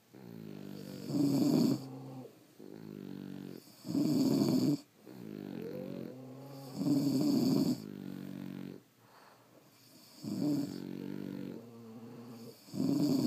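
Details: Sleeping French Bulldogs snore at home, loud raspy inhalations alternating with quieter buzzing exhales, about four breath cycles at a slow, slightly uneven pace, with one brief rising squeaky note mid-way.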